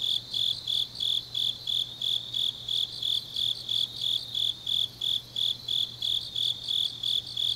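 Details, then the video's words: Deep-night autumn insect song from the grass of Changnyeong, Gyeongnam, Korea: crisp high-pitched chirps repeated steadily, slightly faster than three per second, backed by a sustained shimmering trill and a faint electrical-like hum. "깊은밤 가을 풀벌레 소리"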